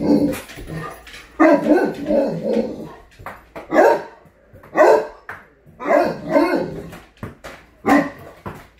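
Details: Great Dane named Scooby, excited as its owner gets home, giving loud deep barks and howling woofs in irregular bursts about once a second, with a person talking and laughing in between.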